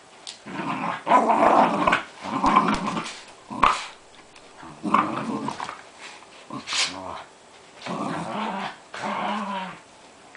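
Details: Two Jack Russell Terriers play fighting indoors over a Buzz Lightyear toy: bursts of rough, throaty growling in repeated pulses about a second long, separated by short pauses, with a human voice briefly heard.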